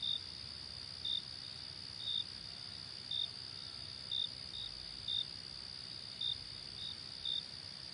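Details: A high, sustained cricket trill with clipped chirps repeating about every second, some pairs close together. The setting is otherwise quiet.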